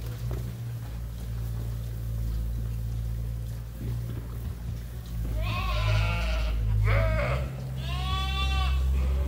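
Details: Several sheep and lambs awaiting feed at Ewetopia Farms break into loud, shaky bleats after a quiet, rumbling start, with three quavering calls in quick succession over low background hum.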